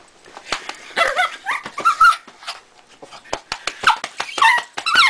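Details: A pet dog named Lucy gives undog noises, a scattered series of squeaky whines and clipped yips, with sharp clicks and taps between them.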